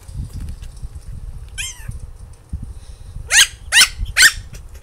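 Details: An 8-week-old female Maltipoo puppy gives high, squeaky yips that slide downward, three in quick succession, barking because she can't get to her treats.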